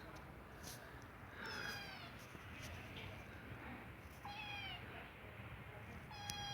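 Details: A pet kitten meows when it needs to poop: three short, thin, high meows, the later ones slightly falling, spread over several seconds, while a person nearby talks to it in a quiet room.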